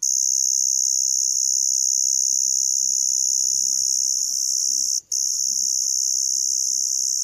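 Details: A Teleogryllus emma field cricket gives a high, steady, ringing chirp that runs on almost without pause. Emma field cricket.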